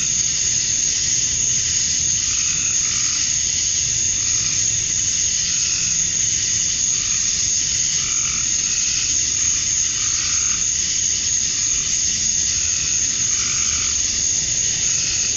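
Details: Georgia, USA, summer dusk: male cicadas chirp to attract females in a constant high buzzing wall of sound, while short lower pulsed calls repeat every second or two underneath.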